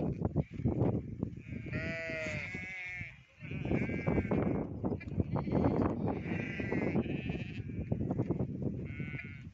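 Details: Many goats on a village goat and sheep farm bleat in overlapping, quavering cries, one long wavering bleat standing out early, over a steady low rumble of the herd.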